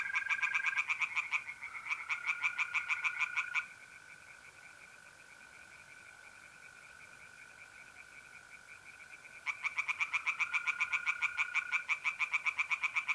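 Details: Tree frogs singing by a pond on an April night in north-east Italy: two short bursts of rapid croaking pulses, then about six seconds of mole crickets' steady trill alone, then the frogs resume their fast rattling series.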